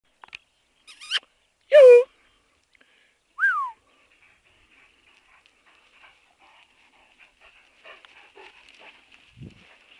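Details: Great Danes in motion: brief high yelps and whines, the loudest a short cry sliding downward, followed by quieter scuffling and a low thump near the end, outdoors in quiet surroundings.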